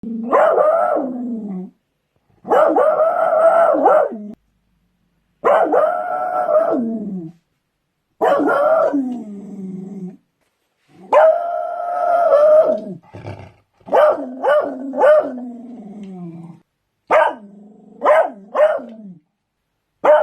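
A beagle bays in a series of long, mournful barks, each held for a second or two before dropping away. Toward the end the calls become shorter and choppier, coming in quick bursts.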